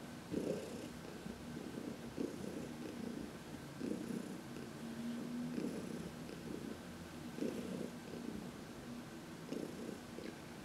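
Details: Contented purring from Heidi, an elderly shelter-adopted house cat, during a sunny massage in March 2021; low throbbing purr rising and falling in regular breaths, quiet room otherwise.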